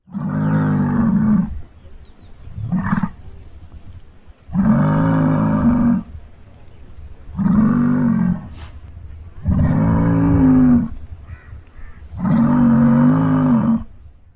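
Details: Muskox of North America giving loud, deep, roaring bellows, each about one to one and a half seconds long, repeated five times with short gaps and a brief softer grunt between the first two.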